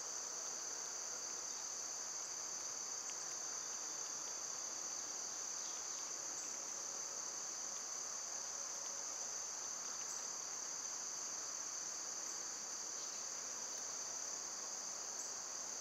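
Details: Cicadas singing outdoors in summer, when they are loud and persistent: a continuous high, shrill droning buzz holds steady without pause for the whole stretch, with only faint rustles beneath.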